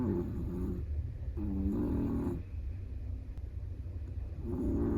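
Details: A Chihuahua asleep and snoring, buzzy, harmonic breaths rising and falling in a loose rhythm, one long snore followed by a quieter pause and another starting, over low steady hum.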